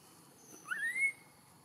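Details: Newborn baby macaque in Siem Reap Province, crying loudly from hunger for milk after being kept from its mother a long time: one clear, whistled, rising wail sliding upward and holding briefly before cutting off, over quiet background hiss.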